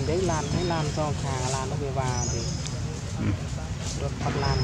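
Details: Heartbroken monkey Sean, hurt after being hit and bitten hard by Jane in the park, gives a rapid series of loud, harmonic descending cries, several closely spaced in the first two seconds, with low-pitched background rumble.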